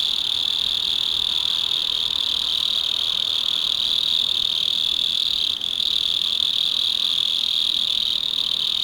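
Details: Underground-dwelling mole cricket calling after dark in a house garden; a sustained shrill trill, steady and continuous, with only a brief dip just past the middle.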